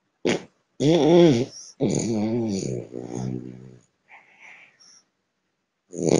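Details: An eleven-month-old male French Bulldog in São Paulo, Brazil, snoring in his sleep: raspy, harmonic bursts of rough, buzzy breath, some with a wavering tone, separated by short pauses and quiet snuffles.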